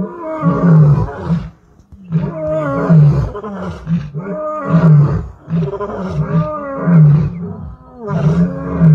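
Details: Thunderous roar of a male lion, Klaserie Drift Reserve, 2 October 2023: continuous deep, groaning calls rising and falling, about fifteen heavy pulses a minute, rich low rumble with layered overtones and little pause between bursts.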